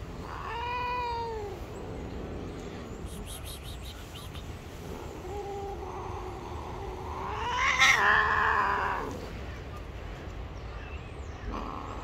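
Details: Gray stray cat living on the street, angry at being touched, gives a short arched yowl, then a longer rising, strained wail climbing to a harsh peak, with background rumble and faint clatter.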